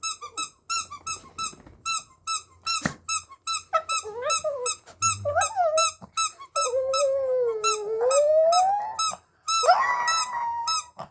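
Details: A dog howling indoors in a small room, described as singing: repeated high squeaky toy-like squeaks throughout, then a long wavering howl sliding low and rising again near the end, with a woman's voice softly in the background.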